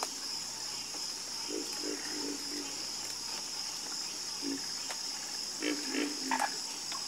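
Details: Frogs croaking in a calm chorus, with scattered low croaks that come in short clusters of two or three. A constant high-pitched insect hum fills the background.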